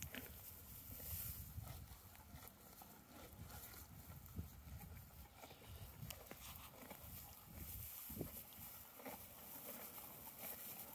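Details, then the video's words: Horse eating hay out in a field, with steady crunchy chewing: dry, irregular clicks and crackles following each other every fraction of a second, over a constant low rumble of wind or outdoor background noise. "Horse eating hay in the Field Chewing sounds"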